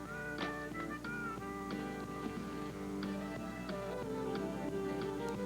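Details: Guitar and flute music plays steadily, with plucked notes and sustained tones and no animal voice.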